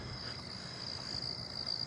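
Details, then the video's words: Southeastern field crickets give a steady, high, buzzing trill without a break on a night walk in a neighbourhood on 8/22, amid tree crickets, ground crickets and katydids. "I hear southeastern field crickets."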